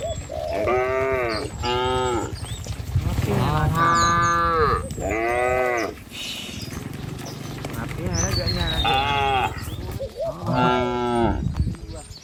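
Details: Herded cattle walking a village road among trees and rice fields, lowing repeatedly: several overlapping moos, some rising then falling, come in bursts about every one to two seconds, with low rumbling footsteps and breeze underneath.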